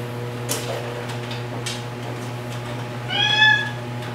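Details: After a few faint taps, Margaret, a female white rescue cat marked orange on her head and tail, lets out one brief, clear meow, with a steady low hum running throughout.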